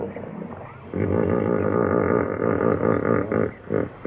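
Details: Hippopotamus bellow: after a quiet start, a loud, deep, pulsing honk with rich harmonics runs for about two and a half seconds, then breaks into shorter throbbing bursts before fading.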